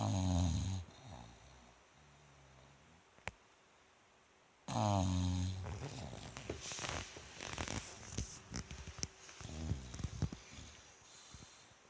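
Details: Rikyu the Bulldog dozing, 29 November 2016. A guttural snore opens the clip and another follows four seconds later, trailed by faint breathing, rustling and shuffling noises.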